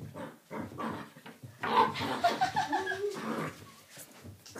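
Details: Puppy offered a coconut, indoors; soft snuffling noises, then a strained, wavering whine-growl swelling for about a second and a half in the middle before fading back to quiet snuffles.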